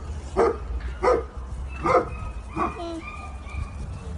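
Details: Several Vizslas crowding a year-and-a-half-old child with kisses; four spaced barks give way to thin, high drawn-out whines, with low background rumble.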